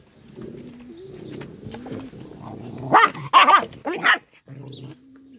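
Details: Angry little dog whining and grumbling at a low pitch, then a burst of three loud, harsh barks before settling back into soft whines.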